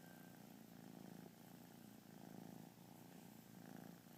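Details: Kitten purring steadily during a lazy day, a low continuous rumble rising and falling in slow cycles of breathing, close and quiet with no other sounds.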